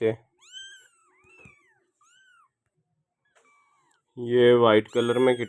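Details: Persian doll face kitten giving three short, thin meows that rise and fall in an arch, spaced about a second apart, followed by a person talking loudly nearby.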